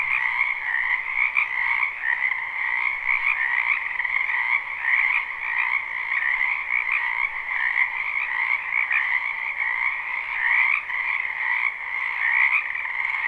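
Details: Many frogs croaking together in a springtime wetland behind a home, captured live: a thick, steady wall of high trilled calls with a quieter lower band, gently rising and falling in intensity without pause.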